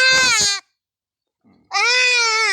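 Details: Castrated male goat suffering a urinary blockage from stones gives two loud, harsh, wavering bleats separated by about a second of silence, the second bleat longer and dropping slightly in pitch at its end.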